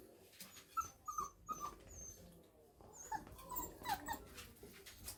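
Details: 5-week-old Staffordshire bull terrier puppies, chewing on a shoe, give short, high squeaky whimpers and yelps in quick, irregular bursts.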